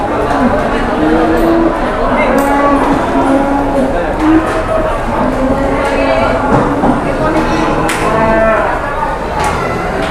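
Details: Cattle at a busy Indonesian sale where a jumbo cow is taken around: scattered mid-pitched moos, some brief and some sustained, under steady crowd noise, talking and occasional knocks.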